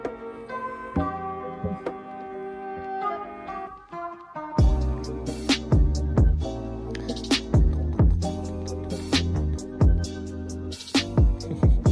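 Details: Instrumental music plays, starting lightly and then turning fuller with drums and plucked strings, with no animal voice.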